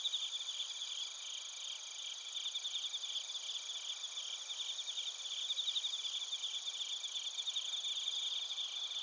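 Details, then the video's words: Many crickets, including bell crickets, chirp in Narita, Chiba, Japan, recorded with a TASCAM Portacapture X8. A shimmering, high-pitched chorus of tightly spaced pulsed chirps layers over steady ringing tones and runs unbroken throughout. "スズムシとコオロギの鳴き声 - Chirping of crickets"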